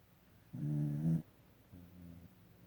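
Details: Dog asleep and snoring, one loud, throaty low rumble of about two-thirds of a second followed after a pause by a quieter, smoother snore, with little else audible.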